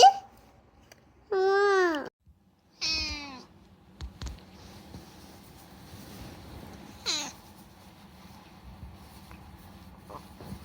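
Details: A rescued talkative cat named Unagi utters two loud, harmonic meows in quick succession, then falls quiet before one brief falling mew, with light indoor noise and scattered clicks between.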